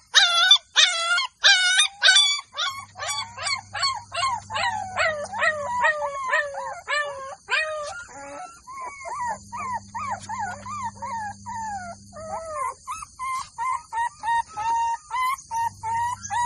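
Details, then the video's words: Golden Labrador puppies in a village yelping in rapid, overlapping bursts, fast high squeals sliding downward at first, then a looser string of shorter whimpering yelps, with a low steady hum coming and going underneath. "Golden Labrador puppies।this Dog Puppy Cute Barking"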